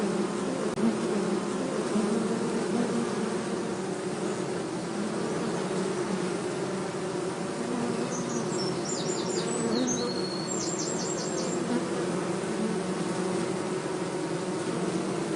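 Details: Honey bees being moved from a forest nest into a hive box during beekeeping near Hebri, India: a loud, steady, low buzzing drone of many bees, with faint high chirping calls around the middle.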